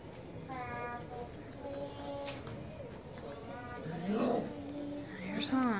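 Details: Four-week-old Goldendoodle puppies at play, chewing toys and each other, give several short high whimpers with stacked overtones, one sliding up then down near the end, while a person talks over them.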